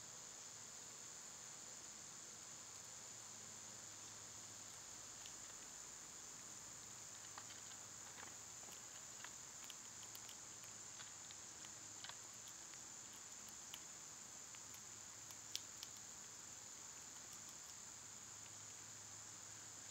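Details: Loud summer cicadas give a constant, high, hissing whine, unchanging for twenty seconds, while scattered faint clicks and small taps, perhaps from birds or squirrels, dot the background.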